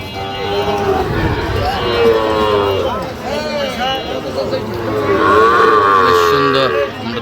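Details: {'caption': "Sahiwal bull calves mooing at a Sylhet cattle market in Goalabazar, Bangladesh, 8 October 2025. Several long, wavering moos overlap, with a higher bellow near the end, amid men's voices and market chatter."}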